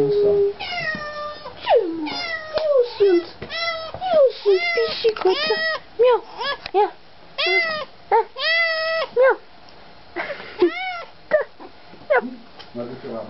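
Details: Domestic cat meeting its owner again, giving a long run of drawn-out, arching meows, some rising and falling, repeated every second or so, with a person talking and answering with imitated meows in between.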